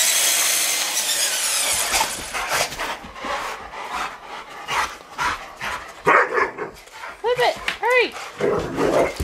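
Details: Rottweilers taking on a remote control truck: a loud buzzing hum fades into scuffling and a person speaking, then two arched, high whining yelps near the end, a second apart.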